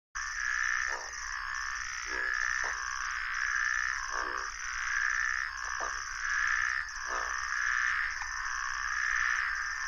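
Deep, rattling croaks from groove-crowned bullfrogs come every second or two, loosely spaced. Behind them a steady, high ringing chorus of puddle frogs and insects fills the night without pause.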